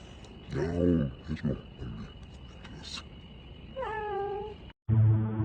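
A domestic cat gives a clear, drawn-out meow between a person's repeated coaxing words.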